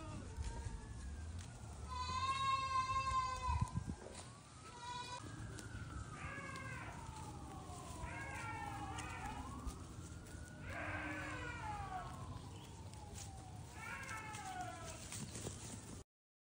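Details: Baby goats hopping around and eating grass give a series of wavering, harmonic bleats, strongest around two to four seconds, with more bleats later, while a siren rises and falls steadily underneath.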